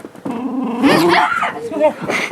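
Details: Pet dog playfully attacking its owner out of affection, giving rough growling barks and snarls mixed with a person's excited voice.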